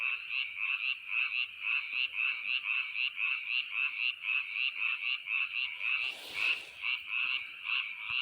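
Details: Frogs calling in quick, evenly pulsed rattling notes, about three per second without pause, with a brief rush of noise near the end.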